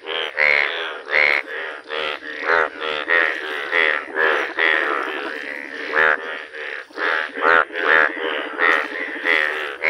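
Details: Yellow Indian bullfrogs in a village give a dense chorus of pulsed, rasping croaks. Calls overlap and repeat roughly every half second, with bright buzzy bursts throughout.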